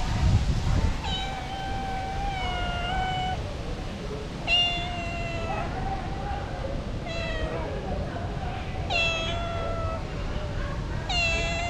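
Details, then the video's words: Hungry female street cat begging for food, refusing dry food, meows repeatedly: five clear harmonic cries spaced about every two seconds, some slightly falling in pitch, against constant low rumbling street noise. "The female cat crying asking me for food"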